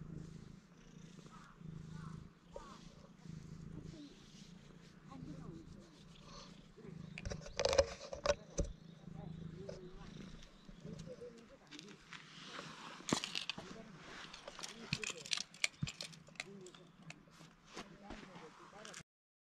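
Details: At a construction site, affectionate stray cats purr in a continuous low throb broken by short breathing gaps, while a person talks quietly nearby and handling noises and sharp knocks come through, especially in the second half.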